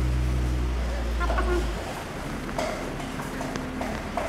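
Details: Asian elephants at Washington Park Zoo, Portland, Oregon, recorded 25 October 1984 while making infrasonic calls. The rumbles are sped up 2.5 times so their deep, steady tones become audible to human ears.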